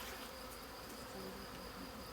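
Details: A Western honey bee swarm found under the roof of a family chalet is collected by a local organic beekeeper on 21 May 2020. It makes a dense, steady buzzing hum with faint low tones throughout.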